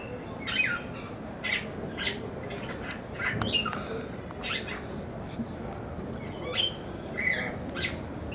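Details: Meerkat at Blijdorp zoo, Rotterdam, gives short, high, squeaky chirps repeated roughly every second over a steady background hiss.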